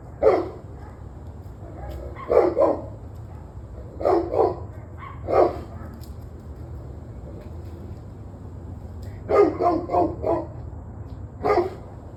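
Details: Dogs barking on 21 November 2023 at 7:06 pm, loud short barks in scattered bursts of one to four, with longer pauses between groups, over a steady low hum.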